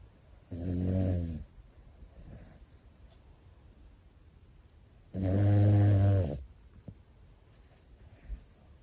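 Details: Pomeranian brothers asleep indoors: two loud, rough snores, each about a second long and spaced roughly five seconds apart, deep and rattling with soft breaths in between.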